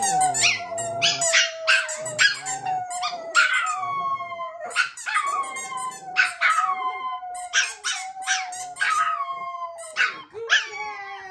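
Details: A long, unbroken dog howl holds a steady middle pitch throughout, while the second of the pair, Jett and Foxy, adds rapid yips and short barks on top in a busy, excited chorus.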